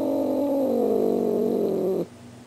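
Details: Star, a female cat, practising her Halloween greeting: a sustained low, buzzing moan that slowly slides downward for two seconds before stopping abruptly.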